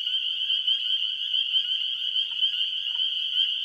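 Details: A dense chorus of spring peepers in a marsh at the Beaver Creek reserve: countless high, piercing peeps blend into one steady, shrill ringing wall of sound with no pauses, loud enough to hurt the ears.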